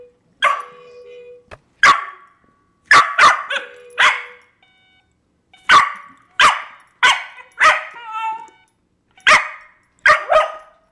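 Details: Cairn Terrier raging at a baby toy car, giving a long run of sharp, loud barks in bursts of one to three, with short pauses between and a few higher yelping notes.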